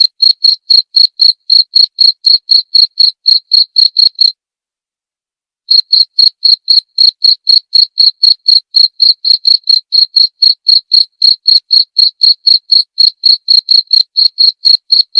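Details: A cricket's high, ringing chirps, used to tutor cage songbirds and as a therapy sound, pulse roughly four per second, stop for about a second and a half, then run on evenly to the end.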